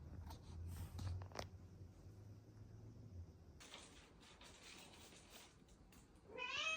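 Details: A female Bengal cat gives a short, rising meow after a stretch of low humming rumble and soft household noise; she meows only when she doesn't see the camera, perhaps shy.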